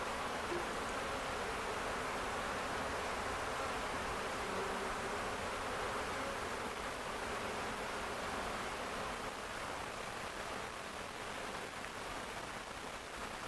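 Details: Many honey bees swarming from a beekeeper's colony on an Ontario farm, May 11, 2025, described as docile while swarming; a continuous, even, massed buzzing drone that fades slightly towards the end.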